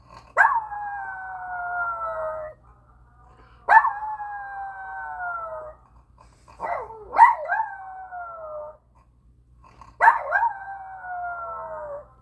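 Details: Pet dog howling in four long drawn-out phrases, each about two to three seconds, starting with a sharp onset then sliding gradually downward in pitch, with brief gaps of silence between them; owner's soft praise follows.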